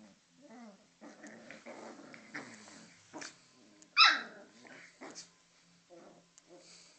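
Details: Six-week-old Cocker Spaniel puppies, two of them, on their first night home, growling indoors: short rough growls and thin harmonic whines in bursts, one sharp loud yelp-like burst midway, with quiet gaps between.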